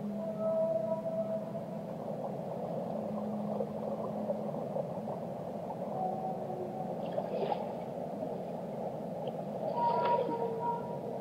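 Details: Whales singing underwater, with overlapping drawn-out moans at several pitches, a low sustained hum early on, and brief brighter squeals around seven and ten seconds, all set in a constant gurgling ocean murmur.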